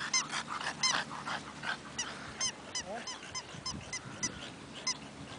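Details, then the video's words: Bull Terrier named Avigdor in a rapid run of high, squeaky, harmonic whines and yelps, about three per second and uneven in spacing, over a low background hum. "Avigdor's Rock N Roll"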